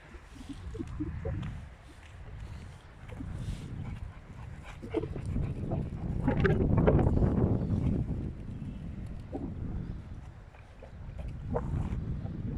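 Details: Rottweilers, two females and one male, showing jealousy toward each other: low, uneven whines and grumbling sounds rise and fall over a heavy rumbling background, with brief sharper bursts in between.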